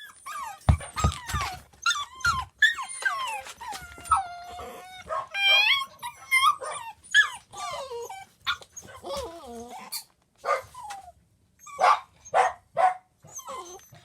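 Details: Pembroke Welsh Corgi puppies, four mischievous littermates kept in their pen during cleaning while their mother brings them toys; high, wavering whimpers and squeaky cries overlap in rapid bursts, with brief yelps and soft barks between.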